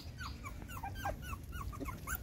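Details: Six puppies nursing from their mother dog, letting out many short, high, falling squeaks and whines in quick succession over a steady low rumble.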